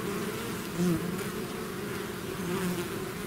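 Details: A bee swarm that has left its hive fills the air with an even, throbbing drone; single bees flying nearer swell the buzz briefly around one second and again near the end.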